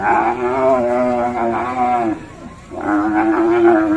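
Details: Cow said to be raging at its owner, from a cattle pen in Indonesia: two long, drawn-out lowing moos with a rich harmonic stack, the first about two seconds and the second starting after a brief pause.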